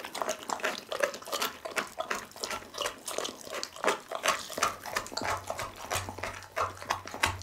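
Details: Pit bull named Doggy eating a whole chicken, filmed on an Insta360 ONE R camera: fast, uneven run of wet crunching and tearing bites, about three a second, with a faint low hum underneath.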